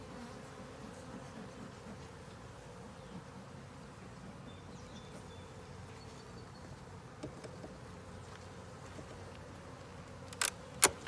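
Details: Honey bee hive with a ten-frame deep and honey super under inspection; soft continuous colony hum, a few faint passing buzzes, and sharp handling clatter near the end.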